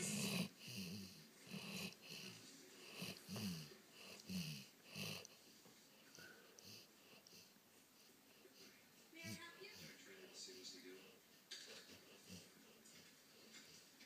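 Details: Sleeping dog snoring while dreaming indoors, rough wheezy breaths pulsing roughly every second for the first five seconds, then quieter, softer breathing with a few faint snorts and small whimpering sounds.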